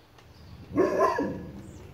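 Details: A dog, an imitation Ridgeback, confronts metal chicken ornaments, giving a single gruff, drawn-out bark-growl in a quiet setting.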